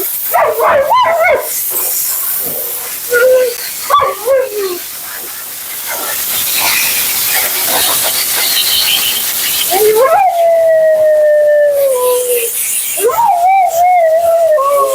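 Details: Dramatic Husky Mila at the grooming table, a few short yips early on, then long level moaning howls that waver and fall slightly, heard over the roar of a high-velocity dryer.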